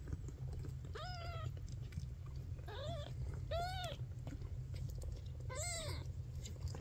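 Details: Maine Coon kitten Ash, the last of his litter to open his eyes, gives four thin, high mews, each bending up then down, spaced one to two seconds apart over a steady low rumble.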